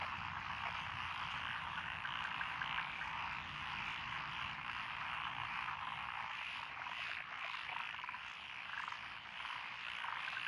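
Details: Mixed frog chorus, including Japanese tree frog, pond frog and Schlegel's green tree frog, in lotus rice fields of Echizen, Fukui, Japan, June 12, 2021: constant dense croaking with rattled trills swelling and fading.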